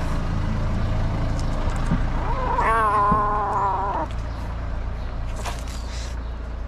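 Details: Angry kitten in Morocco resisting treatment, its mother cat watching nearby. A single wavering, strained meow held about two seconds, partly masked by a steady low rumble of passing traffic, with brief rustling afterward.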